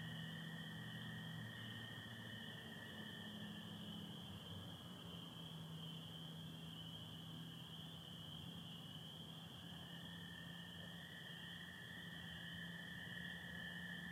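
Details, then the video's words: Spring peepers calling with American toads on an April spring night in Michigan under stars with some overcast; a dense, unbroken high chorus merges into steady ringing bands, with a lower continuous trill and a faint low hum beneath. "Sounds of spring peepers and american toads"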